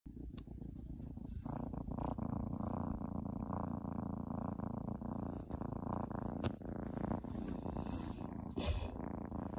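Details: Orange domestic cat purring while interrupting its owner's work from home indoors; a steady low rumbling purr of rapid pulses continues throughout, with a few faint clicks and knocks.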